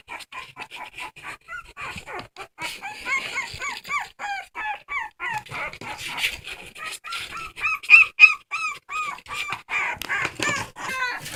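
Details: Crying dog giving long sequences of short, bright, arch-shaped whimpers at a quick even pace, some shrill peaks near the end, with faint tapping noises around them.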